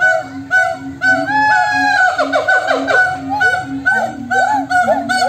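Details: Several monkeys calling back and forth to each other, a loud and busy chorus: steady repeated low hoots about twice a second overlaid with higher rising and falling whooping notes, voices overlapping throughout.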